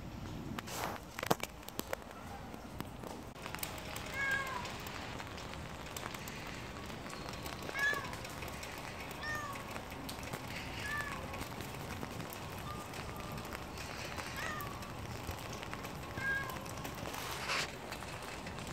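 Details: Stray calico cat on a rainy spring day, giving a few faint, short meows spaced several seconds apart, almost buried under steady broadband hiss from falling rain.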